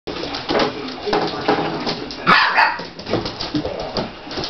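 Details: Siberian Husky puppies playing with a big adult Siberian Husky; constant scuffling and rustling throughout, with a short high whine near the middle followed by a second, briefer yelp.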